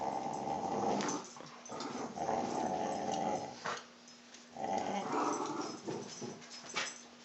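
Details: Pet dogs playing tug of war indoors, an old hound getting annoyed; a steady, low rumbling growl in drawn-out bursts of about a second each, broken by short pauses, with little else heard.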